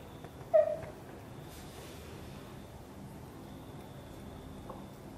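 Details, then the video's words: Mother cat, angry as her kitten Guitar is lifted out of a box and carried close to her, gives a single short, loud harmonic meow near the start, followed by quiet room sound. "Mom cat gets angry when I try to help the kitten escape from the box and carry it close to her"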